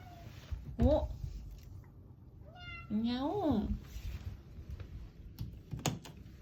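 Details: Fourth-day American Shorthair cat calling a long 'haon': one short bent meow, then after a pause a louder, wavering, drawn-out meow that rises and falls, with faint tapping and a quiet room background.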